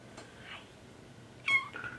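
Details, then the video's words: Tortoiseshell kittens meowing while talking to their owner indoors; a faint thin meow early, then a louder, brighter meow with a falling tail, quiet room background. "Tortie Kittens Talk to Their Owner"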